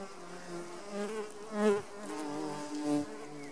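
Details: Garden leaf-cutter bee (Megachile) working its way out of a cocoon inside a nesting tube. Steady low buzzing hum with rich overtones swells and fades several times, loudest in two brief surges.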